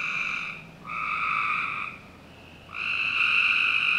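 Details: Summer-night frog chorus from a Northern Virginia backyard, with harsh buzzing trills lasting about a second, a brief quieter pause, then another strong trill starting.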